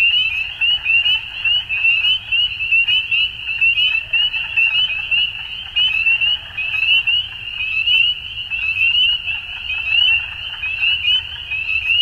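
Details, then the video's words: At dusk, numerous frogs call at once, making a continuous high trilling chorus. The loudness swells and dips roughly once a second, with faint low background noise. "Frogs At Dusk"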